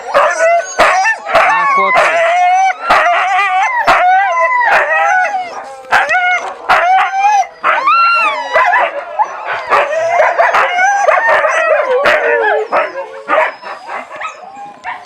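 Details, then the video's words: A litter of Siberian Husky puppies at feeding time in a steady clamour of overlapping whines, squeals and short yips, many sliding upward then dropping. Frequent sharp knocks punctuate the chorus, and a person talks briefly nearby. "щенки хаски+звук"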